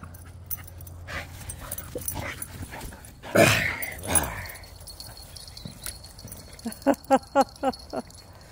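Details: Pet dog in a game of fetch that turns into tug of war with a new toy, running near a fence; a loud rustling burst, then a quick run of five short, high, whiny yips near the end, with a woman talking.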